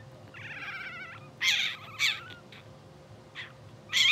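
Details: Two-hour-old English Bulldog pups of a blue sable litter dreaming in their sleep. A thin, trembling whine leads into louder, shrill squeaks in quick bursts, one dipping in pitch, against a low continuous hum.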